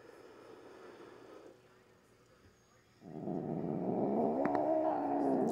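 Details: Pet cat grumbling during nail trimming, growling and hissing for a long while; a faint low growl fades, a quiet gap follows, then a louder, wavering growl with slight pitch slides swells up.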